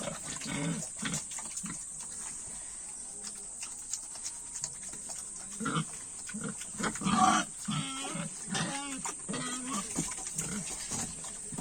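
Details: Farm pigs at feeding time: scattered low grunts at first, then a busier run of deep, rhythmic grunting in the second half, with a few brief higher squeaky notes mixed in.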